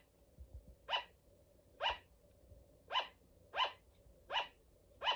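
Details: Pet female sugar glider barking: six short, sharp, nasal yaps with bright overtones, evenly spaced about one per second, in a quiet room with a low steady hum.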